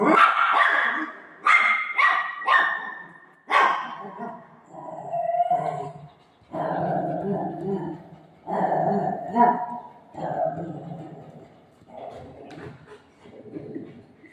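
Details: Golden Retriever pet dog playing with its human mom: several short, sharp barks in quick succession over the first four seconds, then lower, drawn-out growly vocal sounds, with occasional human speech mixed in.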